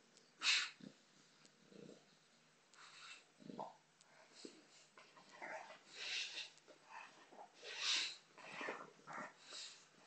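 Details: Female bulldog Botox at play with a soccer ball: a loud snort at the start, then a run of noisy breathy snuffles and panting puffs, growing busier in the second half, in a small room.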